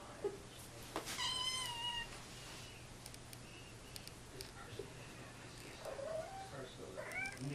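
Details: An 11-month-old kitten indoors making cute noises: a drawn-out, slightly rising meow near the start, then quieter chirping, trilled calls that bend up and down toward the end, with faint room hum.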